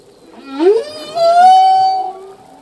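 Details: Male humpback whale song: a brief upward swoop followed by a long, smooth sustained tone with many harmonics, fading out after two seconds.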